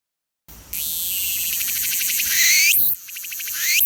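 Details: Cicada recorded by the filmer, species not named: a loud, dense, buzzy trill that rises steadily in pitch, sweeps sharply upward and breaks off, then starts a new rising buzz; no other sounds stand out.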